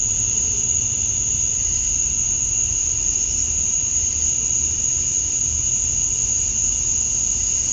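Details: Evening cicada chorus in summer, Georgia, USA, the males calling for females: a high, steady, ringing drone that never breaks, a weaker lower tone under it, and faint low rumbling sounds in the background.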